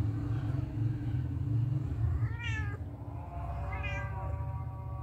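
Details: Kittens with their mother cat as she licks them: two high, clear meows rising then falling, about one and a half seconds apart, over a constant low droning hum.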